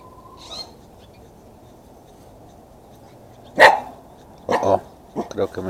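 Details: Max, a pet Chihuahua cross, after running around wildly for a few moments: a few sharp barks near the end, one single bark then short clustered yaps, with a man speaking Spanish and a quiet background hiss.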